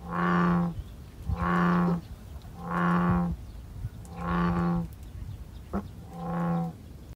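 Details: American bullfrogs in a small pond beside a flower path on Sido island, Incheon, give deep, droning, cow-like notes, each under a second, repeated about every one and a half seconds.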